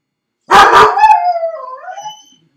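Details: Dog shut in a crate while left alone at home: two sharp, quick barks followed straight away by a long, mournful howl that bends downward and trails off, then quiet.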